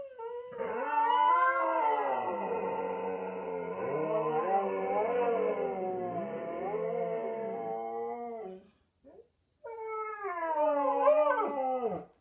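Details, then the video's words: Pet Huskies howling a deep baritone duet; long, overlapping, wavering howls for about eight seconds, a short pause, then a renewed howl that rises and falls before dropping away. "Husky singing a duet in baritone"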